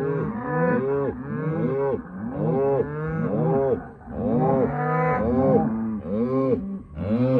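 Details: A herd of Hereford and Black Baldy cows with calves lowing in a dense chorus. Overlapping moos follow almost without pause, some bending upward and others holding a steady low tone.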